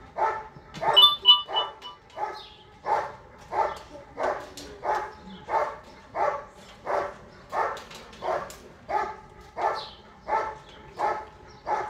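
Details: German Shepherd named Bandit vom Haus Kogor barking during section C of an IGP-1 qualification trial at the 2022 Russian Championship, scoring 90 points. Deep, steady barks repeat about every 0.7 seconds, roughly eighteen in a row, with a few louder ones near the start.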